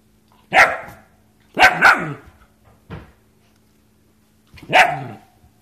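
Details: A German Shepherd gives loud, harsh barks at irregular intervals, with a faint steady hum behind.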